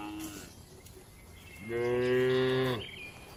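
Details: Gentle cow in a calm, well-kept farm barn among dozens of cattle resting and eating: after a quiet stretch, a single full, level moo lasting about a second, ending abruptly, with a brief higher call just before.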